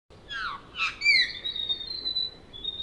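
A deer gives a shrill call: falling squeals, then a long, steady high whistle.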